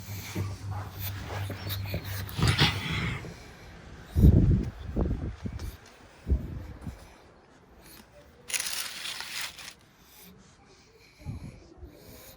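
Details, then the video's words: Sleeping pug resting after heavy playtime, giving short, deep, low-pitched snorts in irregular bursts, with quieter breathy sounds and soft indoor room noise between them. "SLEEPY PUGS ARE CUTE - pug naps, snores, snorts"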